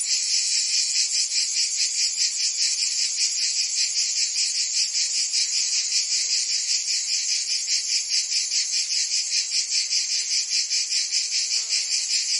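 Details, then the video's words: Summer chorus of cicadas in Provence, France, a loud unbroken shrill drone throbbing in regular quick pulses, roughly two or three per second, filling the whole recording. "Cicadas singing in France (Provence)"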